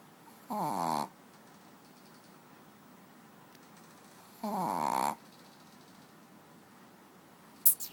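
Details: Sleeping pet dog Manja snoring on a bed: two rough, buzzy half-second snores about four seconds apart, with a faint click near the end.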